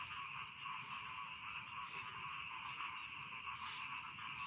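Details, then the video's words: Rice field frogs in full chorus, offered as night-time sleep sound: layered steady trills form a constant hum while sharper croaks break in about every second. "Bedtime Frog Sound || Suara Katak Sawah Pengantar Tidur"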